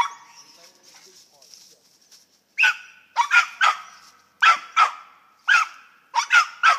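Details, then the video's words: Squirrel dogs at Lightfoot kennels in west Kentucky barking in short bursts, first a single bark, then clustered pairs and triplets of sharp harmonic barks over about four seconds, after a quiet stretch with faint high insect-like hiss. "Squirrel dogs"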